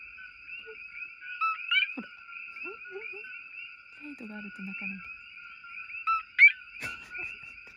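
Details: Coqui frogs at night around an isolated house in the forest in Hawaii. A dense chorus forms a steady wash of high, piping two-note calls.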